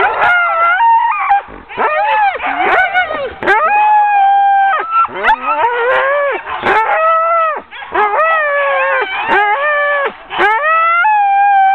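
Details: Ten sled dogs being hooked up as a team for a training run in October 2010, raising a loud, continuous chorus of overlapping yelps and wavering howls. Brief lulls break the clamour before it surges again.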